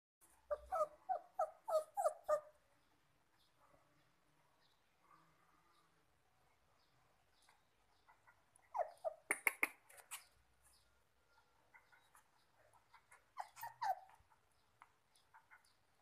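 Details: A two-month-old black Poodle-Dachshund mix puppy gives a rapid run of high, thin yips and whimpers, about six in two seconds, then quiet, then further scattered bursts of squeaky yelps.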